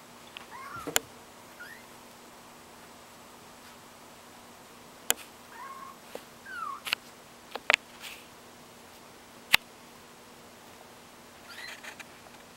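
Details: Small kittens learning to walk, with a few thin rising and falling mews spaced several seconds apart between sharp clicks and knocks in a quiet room with a low hum.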